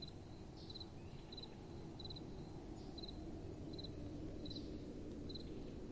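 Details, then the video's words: Night-time crickets give quick high triple-pulsed chirps at an uneven pace of about three per second, with gentle wind rushing steadily underneath. "Relaxing Night Time Sounds | Crickets & Soft Wind"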